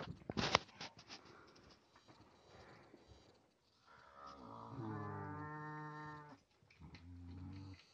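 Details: Nutria in a family group of eleven females joined by Zhorik, a young but experienced male who guards the food; after a few clattering knocks, a low harmonic moaning call drawn out steadily for over two seconds, then a shorter second moan.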